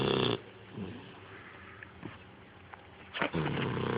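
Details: Sleeping dog gives a loud, gravelly snore at the very beginning, followed by quiet breathing with a few small clicks and snuffles, then another harsh rumbling snore toward the end.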